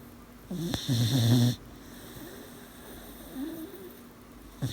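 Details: Sleeping eighteen-week-old dog giving a loud, buzzy snore with a nasal whistle, then a quieter wheezy breath and the start of another snort, a nightly sound.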